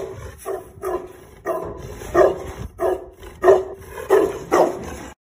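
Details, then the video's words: Hequ Tibetan Mastiff, pure breed, giving loud, deep barks, about eight in five seconds at an uneven pace, some doubled, each rough and resonant, with a quiet background between them. "Pure breed Hequ Tibetan Mastiff"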